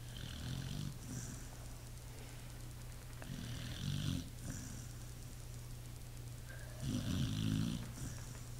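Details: Sleeping Pit Bull with loud, buzzy rattling snores, the strongest near the end, alternating with hissing out-breaths over a low steady hum.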